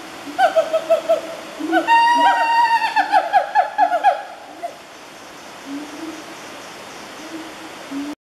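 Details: A wild siamang (Symphalangus syndactylus) family at Fraser's Hill, Peninsular Malaysia, on 12 January 2014, gives loud, wavering hoots in a quick run that rises and falls, then fades away.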